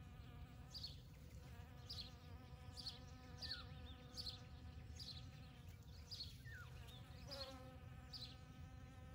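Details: Morning on 29 May 2022: hive bees work poppies in a field for nectar and pollen. A continuous low buzzing hum runs throughout, accompanied by short high bird chirps repeating roughly twice per second.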